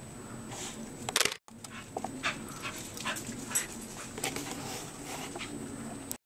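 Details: Corgis chasing each other in the snow pant in quick, breathy bursts, with a few soft whimpers mixed in, while urged to go get the birds.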